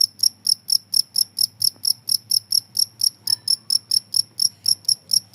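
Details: Cricket chirping in a steady, rapid series of sharp, high, metallic pulses, about four per second, continuing without a break over a faint low hum.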